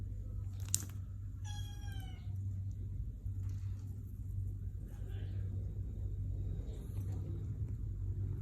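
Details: Relaxed Sphynx kitten utters one short, bright meow with stacked harmonics, then stays quiet amid constant low hum and faint rustling.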